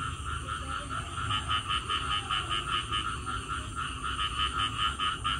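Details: After rain, frogs give quick pulsed croaks in a steady rhythm, roughly two to three per second, layered over a constant high-pitched hum and a low murmur of background noise.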